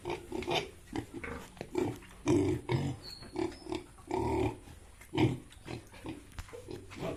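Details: Yorkshire and Hampshire pigs kept on a farm in Bongaigaon, Assam, India, producing repeated deep, throaty grunts roughly every half second to second, some louder and drawn out, over a faint background hum.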